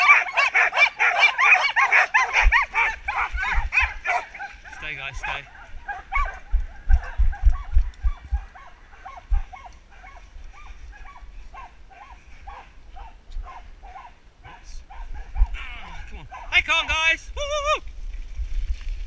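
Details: Mixed-age Samoyed team pulling a rig through a UK forest, including a wheel dog close to ten. Loud overlapping barks and yips at first, then quieter scattered yips while a man calls encouragement, ending with high wavering whines.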